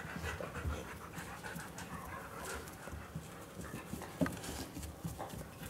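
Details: Two Siberian Huskies, a chocolate-and-white male born 2010 and a red-and-white female born 2013, pant in quick, breathy bursts while impatiently waiting for their food.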